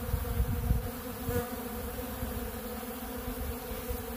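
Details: Honeybees feeding on ultra bee pollen at a big blue pollen feeder give a steady, low droning hum with layered tonal bands, plus a few soft low thumps early on.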